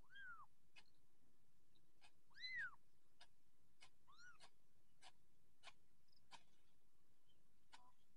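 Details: Orange Persian kitten giving three sparse, thin falling mews spread across the stretch, the middle one loudest, between regular sharp ticking clicks.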